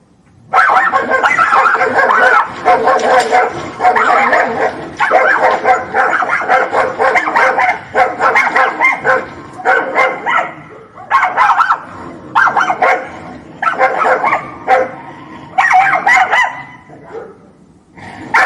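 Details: Dogs fighting: a dense, continuous tangle of harsh snarls, growls and yelping barks in overlapping bursts, with brief pauses after ten seconds before the scuffle flares up again several times.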